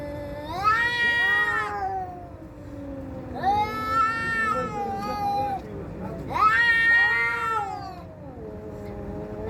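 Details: Domestic cats in a fight give three loud, drawn-out, wavering yowls, each around one to two seconds, separated by lower moaning growls, over a steady background hum.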